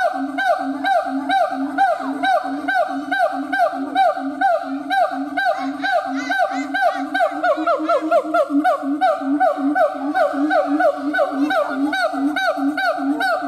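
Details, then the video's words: Howling siamang gibbon, steady train of nasal honk-like hoots repeated roughly twice a second, several callers overlapping, with notes bending upward in the middle stretch. "Siamang Gibbons monkay howling"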